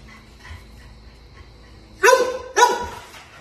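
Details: Playing American Bulldog puppy letting out two loud, harsh barks about half a second apart after a quiet stretch.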